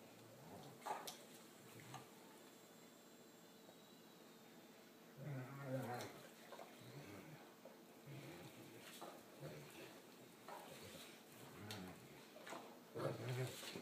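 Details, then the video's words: Two Great Danes, a five-year-old and a five-month-old, playing friendly together on a couch indoors; low grumbling growls come in short bursts, strongest midway and at the end, with quiet rustling and scuffling between them. "Great Danes playing on the couch"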